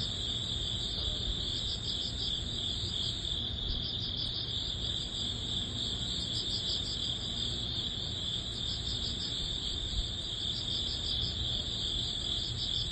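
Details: Early-autumn grass insects led by crickets, end of summer: dense pulsed chirps repeating without pause alongside a sustained high-pitched ringing tone, with low broadband rumble underneath.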